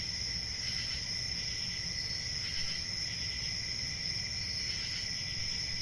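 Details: Unceasing shrill chirping of crickets, a thin high drone with a weaker lower tone, intermittent clusters of quick pulses, and muffled low background noise.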